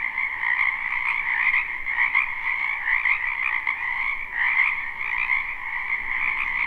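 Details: Spring wetland frogs in full chorus, live recording: overlapping rapid trills form an unbroken high croaking drone, with slight surges about every second or two as individual callers stand out.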